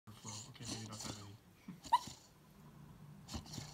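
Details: Staffordshire Bull Terrier puppy asleep on a couch, barking during a dream with eyes half open; muffled, low, stifled woofs in quick bursts over the first second and a half, one sharper yelp near two seconds, soft breathing after.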